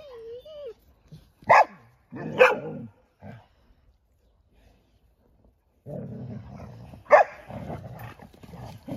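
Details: Young Golden Retrievers at play, giving a few loud sharp barks spaced irregularly, with quieter growly vocal noise between and a short stretch of near silence midway.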